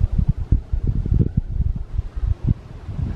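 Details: Only low, buffeting wind noise rumbling against the microphone, with no animal voice heard.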